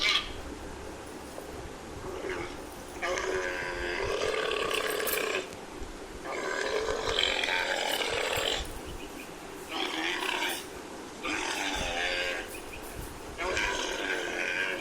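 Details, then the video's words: Camel giving harsh, gurgling, buzzy bellows in separate bursts of one to two seconds with short pauses between, about six bursts in fifteen seconds, over a steady low background hiss. "Camel Sound Effect"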